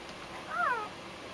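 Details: Newborn Husky/Collie mix puppy from a first litter of six, two males and four females, indoors: one brief high whine that rises then falls, with faint room noise.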